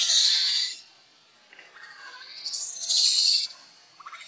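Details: Hungry baby monkey Leo cries to its mother for milk, giving two piercing high-pitched screams separated by a quiet pause, with a faint softer squeal at the end.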